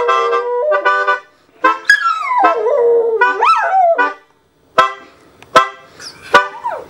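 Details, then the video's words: Female dog singing along with reggae music: sustained, wavering howls that rise and fall, then a few sharp yips and short sliding cries as the howling trails off. "Awesome Reggae-Singing Dog!"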